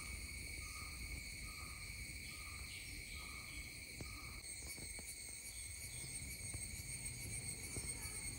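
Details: Continuous shrill whine of an Indian cicada in layered tones, joined during the first half by a short lower note repeating about every half second, over a low background hum.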